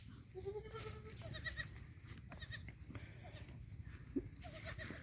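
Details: Black Bengal goat on a farm giving a wavering, harmonic bleat early on, followed by fainter bleats over steady low rumble.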